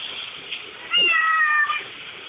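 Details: Kitten named Bolt cries by the dishwasher, wanting to lick the dishes; one clear, drawn-out high meow gently falling in pitch, over a faint household hiss.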